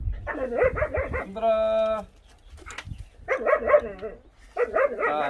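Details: Dog from the pair named Kkamdori and Tancheol, giving rapid, wavering yelping bursts in three groups, interrupted by a steady, held tonal note lasting about half a second.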